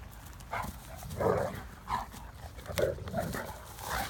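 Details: Great Danes Mikey and Ellie playing outdoors in Florida during a rainy spell, chasing each other and a shared stick; a series of deep, broad barks at irregular intervals, about five bursts in four seconds, over soft background noise.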